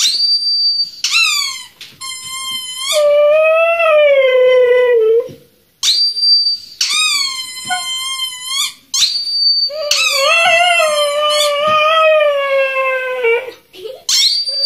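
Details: Siberian Husky crying indoors after hearing her squeaky toy squeezed, as if she thinks it is real; long sliding howl-like whines drop in pitch between bursts of shrill, warbling toy squeaks, while a woman speaks Spanish to her.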